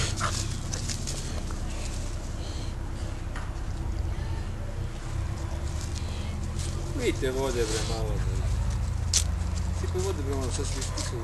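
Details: Playful puppies Cezar, an American Staffordshire Terrier aged 15 weeks, and Maza, a 20-week-old Alaskan Malamute, let out short wobbling yelps and whimpers in two bursts late on, amid constant low rumble and scuffling.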